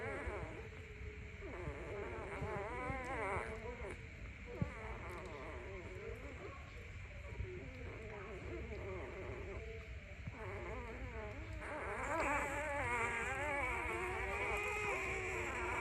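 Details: Puppy crying in the morning: wavering, high whines that slide up and down in long, shaky runs, rising louder near the end over a steady background hiss.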